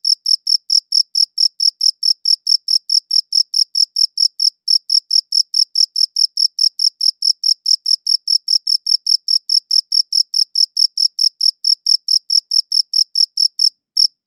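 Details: Crickets chirping, captured with a high-quality audio recorder: a steady series of bright, high-pitched chirps, about three every second, evenly spaced with a fainter upper overtone, against a silent background with no other sounds.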